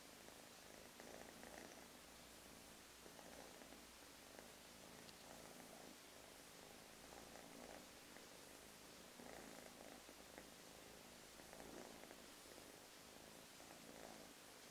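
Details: Russian Blue mix kitten, a lighter gray solid male from an affectionate litter of three, purring steadily with soft rhythmic breath cycles about every two seconds, low rumbling pulses under faint room hiss.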